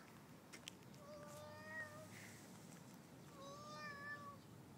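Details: Domestic cat giving two drawn-out meows, each lasting about a second with a steady, slightly wavering pitch and a short pause between them, over a low indoor hum.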